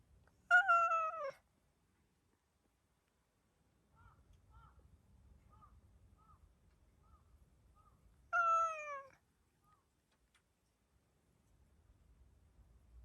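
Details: Hacchan, a black-and-white hachiware stray cat startled after a gentle petting, meows toward the camera: two loud, drawn-out falling meows about eight seconds apart, with faint soft rustling and a few quiet chirp-like notes between them.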